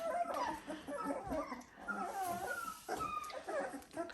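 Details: Dalmatian puppies at 17 days old, indoors shortly after being placed in a new pen, giving overlapping thin whimpers and squeaks that rise and fall in short wavering arcs, several voices at once with steady background hiss.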